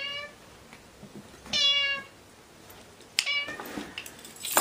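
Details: A domestic cat or kitten indoors gives two short, bright, high meows about a second and a half apart, with soft rustling between them.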